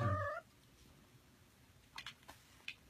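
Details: Cat from a household of four, said to be active all day. A loud meow is cut off at the start, followed by a few faint, short chirping calls in a quiet room.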